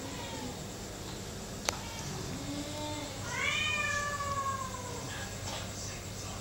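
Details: Being pestered by another cat, a kitten lets out one long, drawn-out meow that rises and slowly falls. Fainter short mews come before it, and a sharp click and a low, steady room hum are also heard.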